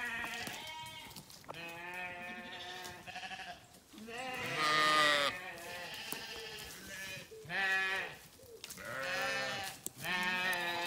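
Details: Sheep bleating in a sequence of loud, harmonic, wavering calls, about five distinct bleats across eleven seconds, some overlapping, with little background noise.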